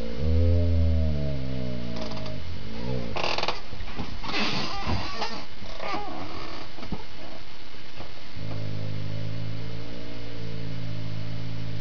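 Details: Critically ill dog Rhade wrestles with his little "sister" Rommy, growling while his tail stays relaxed; drawn-out low harmonic growls open and close the stretch, with noisy scuffling and bumping through the middle.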